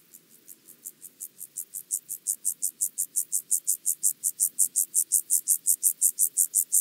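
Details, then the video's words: Chorthippus vagans at Mörnsheim, Germany, 14 July 2023: a long, even series of high, dry rasping pulses, about four per second, swelling from soft to loud and staying loud to the end. "Chorthippus vagans -- Steppengrashüpfer -- Penumbra Grasshopper"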